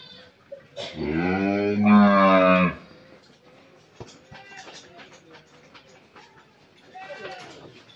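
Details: Friesian dairy cow, nine months pregnant and due to calve for the first time, on a farm in Pabna, Bangladesh, gives one loud, rich, harmonic moo lasting about two seconds, followed by quieter background voices and clatter.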